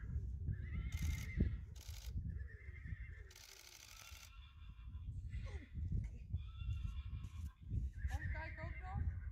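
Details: Friesian horse whinnying in several loud harmonic calls, the last one shaking with a rapid tremolo, over low rumbling background noise and brief broadband clatters.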